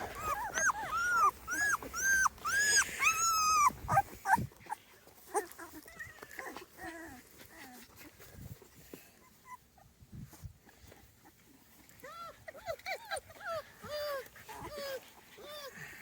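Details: Small Munsterlander puppy litter at 2.5 weeks old, outdoors for the first time; a run of rapid arched squeaks and whines, loud at first, then quieter scattered whimpers and rustling before another burst of squeals.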